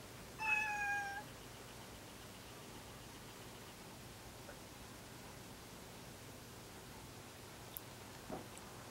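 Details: Kuri, a male cat neutered in adulthood, calls on approaching Kinako, behaviour lasting about five minutes; a short bright meow near the start, then a long quiet indoor stretch with faint ticks and a soft thud.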